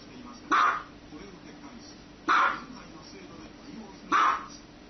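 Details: Dog barking three times, each bark a short, loud burst spaced roughly two seconds apart, with a faint steady hum between them.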